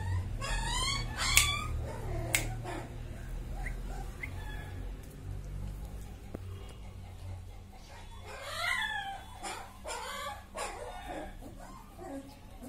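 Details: Mudhol Hound puppy gives rapid high whining yelps in stacked rising bursts, one run early and another later, with a loud low hum, clicks and knocks indoors.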